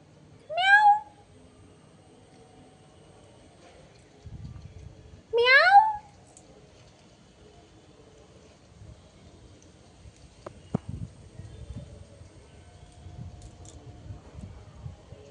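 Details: Cat giving two short meows about five seconds apart, each a bright harmonic call that rises and then drops quickly, followed by quiet room noise and a few faint knocks.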